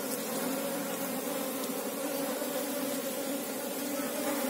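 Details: Short stretch of Asian honey bees (Apis cerana) droning together during a search for the queen; an even, unbroken low buzz with a soft hiss above it.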